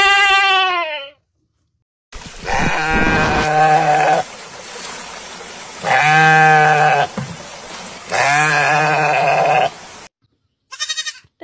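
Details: Goat calling in the quiet mountains, giving long wavering harmonic bleats about two seconds each, four in all, separated by short pauses, with a brief burst of sound at the very end.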